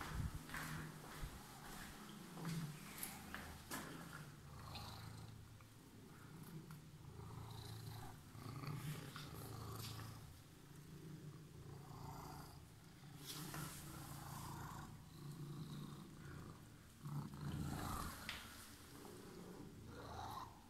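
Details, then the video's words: Cat with emerald eyes that had been waiting, purring continuously: a low, even rumble held throughout, rising and falling slightly with breathing, with occasional light taps and rustling nearby. "Purring Emerald eyes cat was waiting for me"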